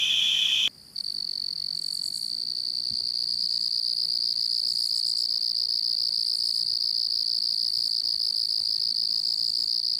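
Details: Cricket chirping as a constant high trill; a lower-pitched trill cuts off abruptly after under a second, a brief silence follows, then a higher steady trill continues to the end.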